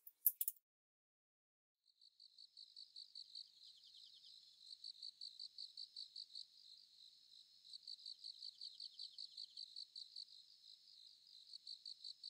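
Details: Sickle-bearing bush-cricket, a thin voice hard to hear outdoors, giving high, fine ticking clicks in rapid pulsed bursts, about two or three per second, after a brief sharp click at the start; otherwise silent.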